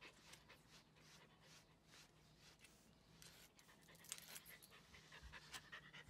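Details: Komugi, a female Mame Shiba born 5 June 2015, panting quickly and unevenly, about two breaths a second, while being brushed during her shedding season; soft rustling of the brush.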